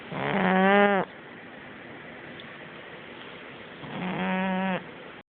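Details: A pug snores in its sleep: two strong, drawn-out, nasal breaths, each under a second and slightly rising in tone, separated by about three seconds of quiet breathing.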